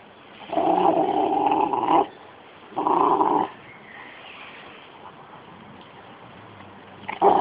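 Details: Two dogs at play, a 13-month-old Rottweiler and a 6-month-old Jack Russell cross; long rough growl-barks lasting over a second, then a pause and a sharp final burst, with steady background hiss.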